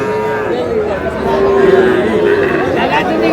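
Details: Sahiwal bull in Cumilla, Bangladesh: a long, wavering moo at steady mid pitch runs under constant chatter and crowd noise from a busy gathering.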